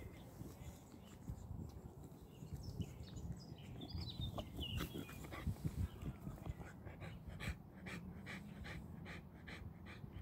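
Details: Aki, a 13-month-old Boxer puppy worn out after playing, breathing hard: low, rough panting that turns into a steady train of rapid, regular puffs in the second half, with bird twitters above.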